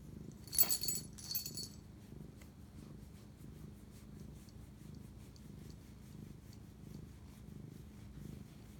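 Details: A pet cat's low, even purr recorded close-up at night on March 25, 2019, while bonding with its owner; two brief loud rustling bursts open the recording before the soft rhythmic rumble continues alone.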